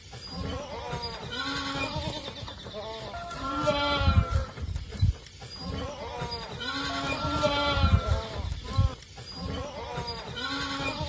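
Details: Long-eared goat kids in a village bleat while drinking milk: quavering, nasal calls in bursts every couple of seconds, some overlapping, over low scuffling and movement sounds.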